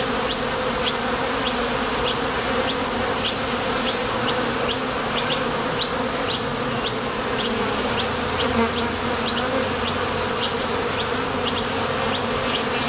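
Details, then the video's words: A continuous swarm hum from honey bees coming and going at a Top Bar Hive entrance while foraging for nectar. A thick, even drone runs throughout, with soft high ticking chirps recurring about every half second behind it. "Bees Sound Effects"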